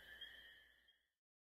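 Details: European green toad (Bufotes viridis), call.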